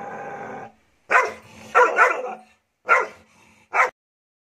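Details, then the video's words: Three-month-old Doberman puppy barking aggressively: a low rumbling growl opens, then rough, sharp barks, some doubled, spaced irregularly about a second apart. "Doberman barking sound||Aggressive Doberman"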